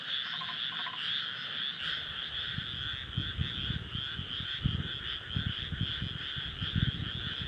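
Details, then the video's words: A dense frog chorus of steady, overlapping trills and croaks blends into a continuous wall of sound from a moonlit rice paddy in Nara, Japan, on an early-summer night, 25 May 2024. "初夏の夜、水田と月。カエルの大合唱/SONY α7SIII/リアルタイム星空動画"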